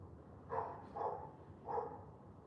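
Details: Three clipped barks from a dog out on a wet-weather morning walk, evenly spaced about half a second apart, with faint low background noise.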